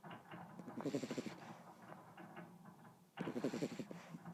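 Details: Beagle sleeping, giving two bursts of quick, stuttering snorts and rattles, a fast fluttering rasp repeated in short runs with quieter breathing between them.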